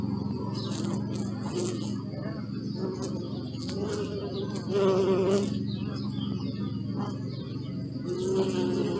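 Honey bees buzz in a low, steady hum that swells and fades as they pass.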